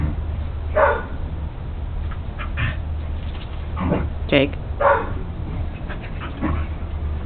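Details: Jake, a Welsh Corgi, tries to herd his new West Highland White Terrier sister Trixie indoors; short sharp barks come irregularly across the clip while a person's voice talks over them, above a steady low hum.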